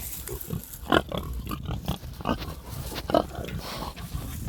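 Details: Sleeping farm pigs give a steady low rumbling snore, with a few slightly louder snorts standing out above the continuous breathy drone.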